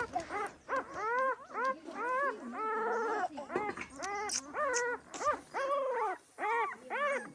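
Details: Overlapping high yelps and wavering whines, some stretched and quavering, come from a Pahadi dog mother protective of her puppies. Calls tumble irregularly with short gaps and faint clicks between.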